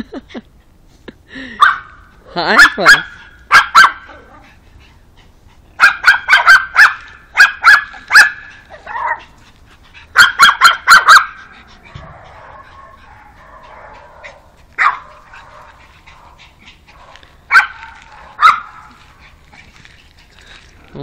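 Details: On meeting a new dog friend, a pug lets out clusters of sharp, high yaps in fast runs, separated by quieter spells with a person speaking softly.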